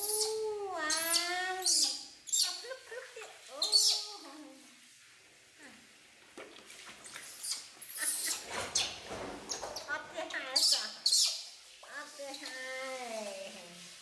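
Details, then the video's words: Infant monkey Poy cries as she resists being bathed, with baby monkey Nita nearby; loud wavering, harmonic wails at the start and end, separated by bursts of splashing water in the middle. "Monkey Baby Poy Crying Not Want To Bathed"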